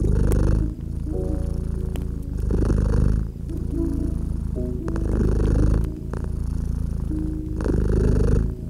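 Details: Cozy domestic cat purring near a gently crackling fireplace on a winter evening; throaty rhythmic rumble pulses in long inhale-exhale waves, accompanied by bright pops from the fire and gentle background melody notes.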